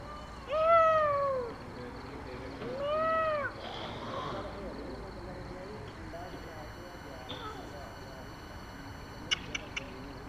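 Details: Domestic cat giving two loud, drawn-out harmonic meows, each arching down in pitch, in the first four seconds, followed by quieter background sounds and faint clicks.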